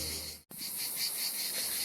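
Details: Cicadas in Paphos, Cyprus, where hundreds can sit on one tree and are heard almost constantly until after sunset: a dense chorus, a steady, high, hissing buzz with faint rhythmic pulsing, broken by one brief pause.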